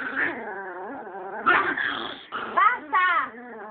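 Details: Chihuahua growling, described as evil and being told to stop: a continuous low growl with wavering, whiny rising and falling tones, breaking into louder snarling bursts near the middle and end.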